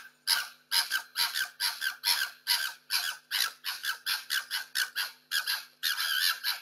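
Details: Two foxes caught on security cameras fighting over food and territory in the streets during lockdown give harsh, rasping screeches in rapid bursts, about two every second.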